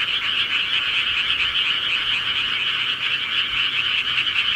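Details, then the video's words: Frogs calling at night in the countryside, a dense unbroken chorus of many overlapping croaking voices forming a steady, shimmering trill that never pauses, with no other clear sounds. "시골개구리 소리"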